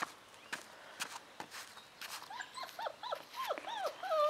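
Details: Five-week-old Bernese Mountain Dog puppies whimpering outdoors: a run of short, high, arched whines, several per second, rising and falling in pitch and growing louder toward the end, after a few soft knocks and rustles.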